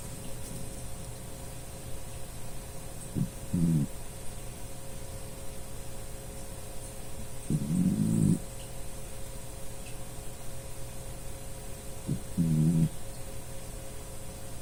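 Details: Dachshund named Puchi, a pet dog, snoring while asleep indoors; low rumbling snores recur about every four to five seconds, each a short rough burst, over a steady background hum.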